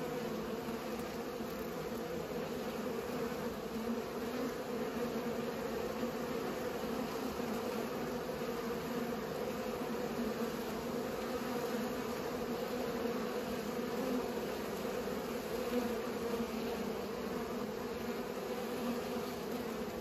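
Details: Several bees at work pollinating give a constant buzzing drone. The low, even hum is rich in overtones and never pauses, and small surges suggest individual bees passing closer.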